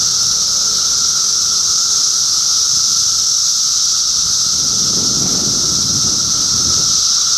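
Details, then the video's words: Massed cicadas recorded in June 2013 in Middlesex County, New Jersey, produce an unbroken shrill whine with a lower steady hum beneath. A short burst of low rustling comes in near the end. "Cicada Symphony"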